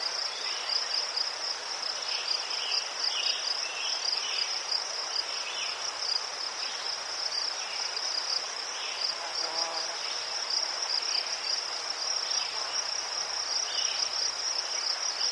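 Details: Crickets chirping in Ukraine by chrysanthemums, an unbroken shrill pulsing trill, with brief lower chirps from other insects and a short faint low tone near the middle.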